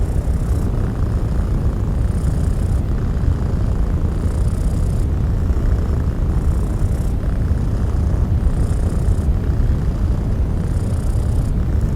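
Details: A steady, deep rumbling noise fills the clip, with no distinct animal sound standing out. Faint hissing swells recur every couple of seconds above the rumble.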